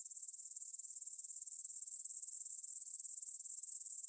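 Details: Grasshoppers in a meadow near the Svensky monastery, Bryansk, Russia, stridulating at 9pm on 6 September 2020, recorded in stereo on a Tascam DR-44WL. A shrill, high trill pulses rapidly and regularly, about ten beats a second.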